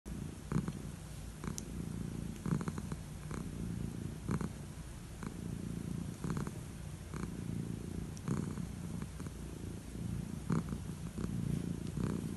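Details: Old calico cat purring while enjoying head strokes before bed indoors; steady low rumbling purr throughout, pulsing with each breath, with soft brief rustles from stroking.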